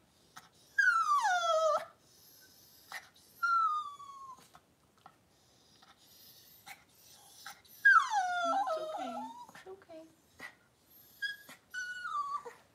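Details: Cavalier King Charles Spaniel whelping, six puppies born within two hours. High, falling whines with rich harmonics come in drawn-out bursts about a second long, separated by soft clicks and faint rustling indoors.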